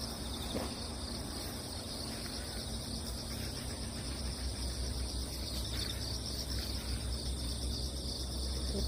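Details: Crickets chirping on damp ground after a typhoon has passed, with cats strolling nearby; a steady high-pitched trill runs throughout over low rumbling background noise.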